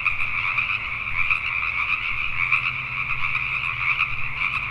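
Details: Pacific tree frogs in Richmond, British Columbia, Canada, chorusing at night: many rapid, overlapping croaks rising and falling slightly in strength, a continuous pulsing din with a low steady hum beneath.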